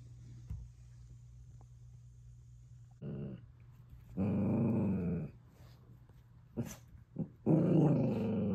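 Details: Miniature dachshund puppies growling during play indoors: low rumbling growls in bursts, with short sharp yips and a rising whine between them.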